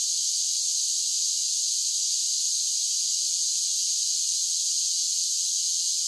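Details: Cicadas singing in summer: a dense, steady, high-pitched hiss-like buzzing that runs without a break, with no other sounds.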